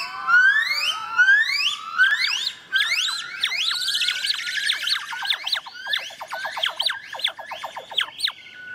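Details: A young female yellow-cheeked (golden-cheeked) gibbon, rescued from the illegal trade in Vietnam and learning her song, sings long rising whoops that break into a fast run of bubbling, climbing notes.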